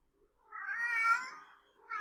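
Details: Male domestic cat yowling while calling for a mate; one harsh, darker-toned wavering yowl of about a second, swelling then fading, with the start of another call at the end.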